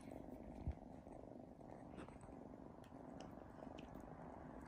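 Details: Sphynx kittens purring as they feed from their mother, an even low-pitched rumbling purr with a few small clicks and rustles.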